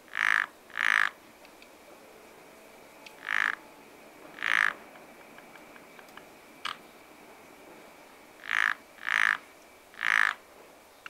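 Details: Frogs at a pond in spring, croaking in short rasping bursts, about eight calls across eleven seconds, some in quick pairs and some single, over a soft steady hiss with a faint thin tone running through.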